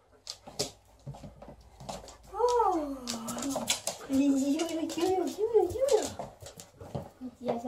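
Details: Indoor greeting from two dogs, tagged as an Alaskan malamute and a golden retriever, as the mother of the household comes home. A drawn-out, wavering howl-like whine bends up and down for several seconds, amid clicks, shuffling and nearby voices.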